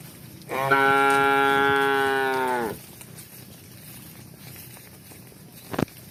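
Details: Cow calling as cows walk and run: a single loud, rich, drawn-out moo of just over two seconds, level in pitch and falling away at the close, followed by quiet with one sharp knock near the end.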